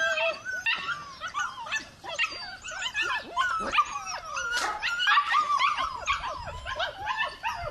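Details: Belgian Malinois puppy whimpering and yelping: a steady run of high, bending whines that swoop up and down, packed closely together with barely a pause.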